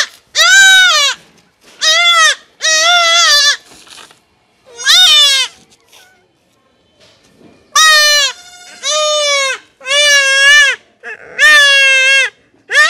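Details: Goat kid about one month old bleating during castration: loud wavering bleats, each about half a second to a second long, repeated in quick bursts with short silent gaps between them.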